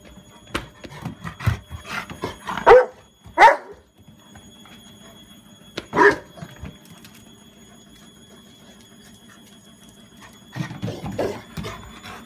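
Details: Dog barking in a garden: a few loud, sharp barks spaced irregularly, one cluster near the start, a single bark midway and a softer burst at the end, over a steady low hum.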